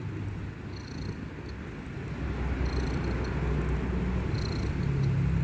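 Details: Kitten asleep, snoring with a steady low grumbling rumble that grows a little louder toward the end, over soft background hiss and faint distant chirps.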